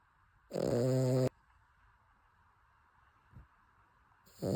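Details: Cavalier King Charles Spaniel named Chappy snoring while asleep: a loud rasping snore lasting under a second, a long quiet gap, then the next snore beginning, with a faint steady hum underneath.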